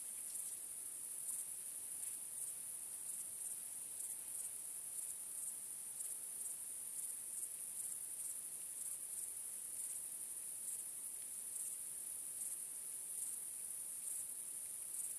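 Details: Night crickets on a starry night keep up a continuous high-pitched trilling chorus, with sharper chirps repeating fairly evenly about every 0.8 seconds. Nothing else is clearly heard.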